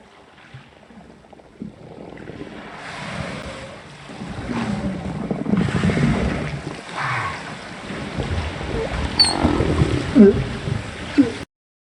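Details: Humpback whale social sounds recorded by hydrophone on a freestanding pole off Cape Town, South Africa, on 23 January 2021: low grunts and short rising whoops under a steady wash of underwater noise.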